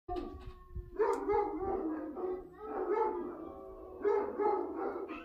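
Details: Basset hounds, described as love-sick, calling to each other with soft, drawn-out, wavering baying notes that overlap, at a low level with some background rumble.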